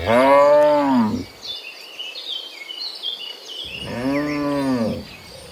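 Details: Cows walking home from the fields to the pen in the afternoon; two deep, drawn-out moos about a second long each, separated by a quiet gap filled with small bird chirps.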